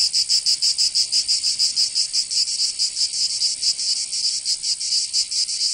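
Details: Summer cicada chorus in Provence in the south of France: a loud, hissing, high-pitched buzz throbbing in regular beats roughly three to four per second, continuous for the whole stretch.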